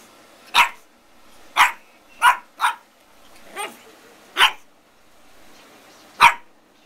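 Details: Zoey, a Pug puppy of 9 to 12 weeks, gives seven sharp, high-pitched barks spaced roughly a second apart, one softer and lower, in a quiet room.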